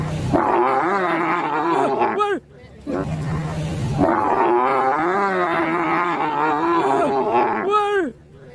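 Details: Raging cow, described as very angry and out of control, kept by an Indonesian cattle farmer: two long, loud, strained bellows with wavering pitch and rich harmonics, the first about two seconds, the second about four seconds, separated by a brief pause.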